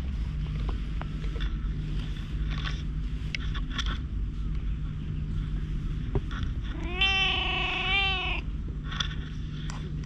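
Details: Stray cat that climbed onto a lap on a park bench in Japan; one drawn-out, slightly wavering meow lasting about a second, over a constant low hum and faint background noise.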